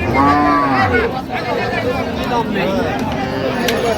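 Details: Cattle at Raniganj market in Dinajpur on 4 September 2025, among cows sold with their calves: a short, steady, tonal moo at the start, then continuous chatter from buyers and sellers.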